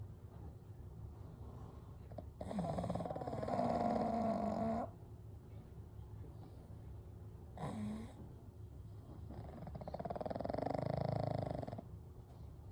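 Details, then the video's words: Night breathing of three pugs, Kou, Gen and Shun, sleeping together: three rasping, pulsing snores of uneven length, one short with a whistled squeak, separated by quiet stretches of soft breathing. "A Night with Sleeping Pugs - Gentle Snoring & Breathing"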